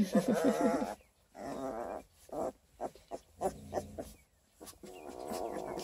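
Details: Twelve-day-old Redtick Coonhound x Black & Tan Coonhound cross puppies from a litter of eleven near Kingston, Ontario, Canada: a wavering, harmonic whimper in the first second, then short soft grunts and snuffles with pauses between.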